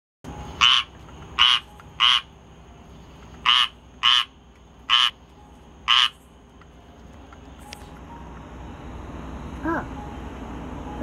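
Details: On 19 August 2022, a squirrel treefrog gives short, harsh, raspy notes repeated at uneven intervals.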